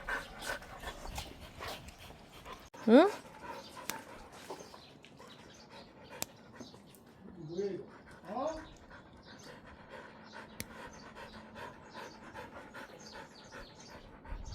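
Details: Rural puppies fighting over food, one of them called Bori: a sharp rising yelp early on, then two short wavering whines midway, while a person scolds and talks to them throughout.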